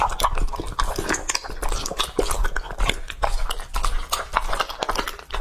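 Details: Two-and-a-half-year-old English-type Labrador Retriever named Lucky eating raw meat indoors: wet, irregular crunching and smacking bites, several per second, with low thumps of food and bowl.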